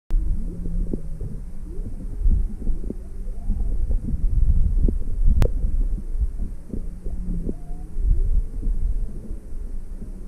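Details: Juvenile humpback whale off Maui on February 17, 2020, an inquisitive young one approaching alongside its mother while the boat's motor is off. Low steady moans and short upswept tones sit over constant deep underwater rumble and scattered clicks.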